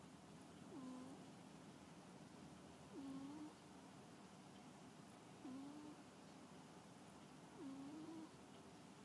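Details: Sleeping pet cat snoring: four soft, low, husky breaths in a slow, fairly even rhythm, one roughly every two and a half seconds, over faint room hiss.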